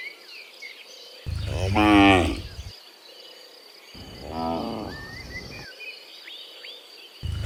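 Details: Dozens of cows returning from the field to the pen in the morning; one strong drawn-out moo followed by a lower, rougher one, then another starting, with bird calls and an insect hum behind.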